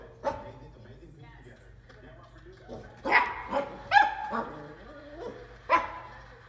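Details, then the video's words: Dachshund puppy barking at a bowl indoors; a few short sharp barks bunched near the middle of the recording, with faint talking and low room noise between them. "Dachshund barking over bowl"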